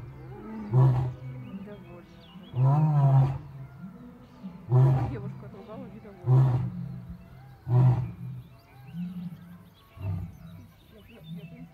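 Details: Large male lion at Taigan, described as in love and popular with lionesses, giving deep grunting roars in a series of about six bursts, with faint speech and music in the background.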